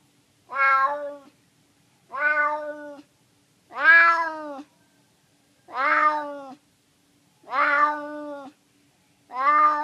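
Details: Hungry neighborhood stray cat, a male living in San Francisco, meowing for food: six long harmonic meows, each about a second, repeated roughly every two seconds in a quiet setting.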